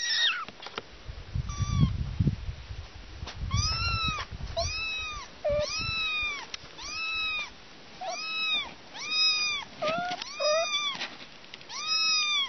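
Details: Kittens with their mother meow over and over, each call a clear arched mew that rises and falls, repeated about once a second with short gaps. Low rumbling handling noise is heard near the start.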